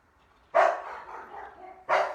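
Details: Two dogs on an indoor play date, barking at something unknown: two sharp, loud single barks about 1.4 seconds apart, with a faint trailing whine between them.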